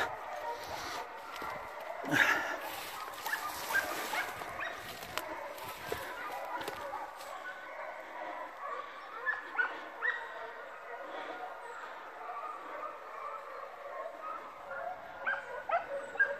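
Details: Pack of hunting hounds baying in full cry during a wild boar drive near Frasso Sabino, Rieti, Italy, on 3 November 2018; distant, overlapping yelps and bays throughout, with men talking nearby and rustling.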